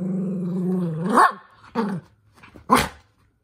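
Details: Male Toy Poodle, over-excited indoors, being told off by his younger sister. A sustained low growl rises into a sharp bark, followed by two more short, harsh barks about a second apart.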